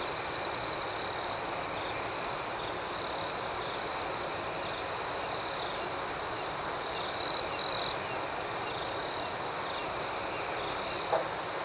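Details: Night chorus of crickets: an unbroken, high, rhythmic chirping hum dominates, broken only by one brief louder double burst past the middle.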